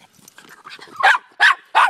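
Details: Miniature Pinscher / Rat Terrier mix dogs Daisy and Rose playing fetch, April 30; a low growly build-up leads into three loud, sharp barks in quick succession, with faint background noise.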